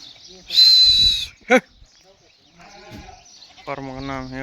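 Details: Osmanabadi goat: a short, harsh, nasal bleat near the end with rich stacked harmonics. It is preceded by a high, thin squeal and a brief sharp knock, with faint human voices in the background.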